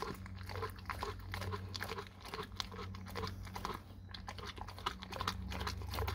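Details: A dog chews raw cow tongue, giving crunchy, biting snaps about two to three per second in an uneven rhythm, with a brief lull near the middle and a constant low hum underneath.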